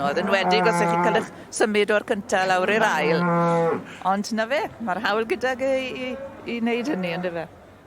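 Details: A Welsh Black cow: drawn-out, harmonic-rich lowing in several calls, some held about a second and others broken into short wavering bursts, with little background sound.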